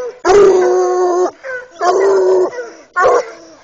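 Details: Male Bluetick Coonhound, eight years old, baying at a caged raccoon; three long, harmonic, bawling bays of about one second each, separated by short gaps, with a brief higher yelp between them.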